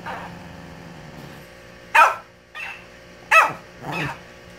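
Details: A Shih Tzu gives sharp, high yappy barks at a mimic toy, each followed by the toy's softer repeated echo.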